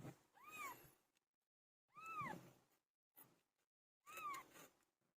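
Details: Pilo, a domestic cat in labour, gives three drawn-out meows that bend up and then down, spaced about two seconds apart, with a brief knock between the second and third.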